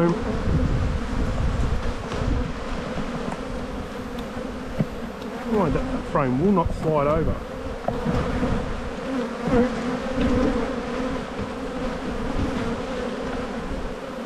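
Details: Honey bees in a bee yard during a spring hive inspection, dated 7-9-22, as the colony builds up. A steady, dense droning hum holds throughout, with a brief burst of human speech in the middle.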